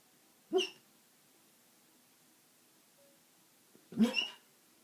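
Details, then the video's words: Sleeping male basset hound lying upside down, snoring: two short, snorting breaths about three and a half seconds apart, otherwise near silence indoors. "Snoring basset hound"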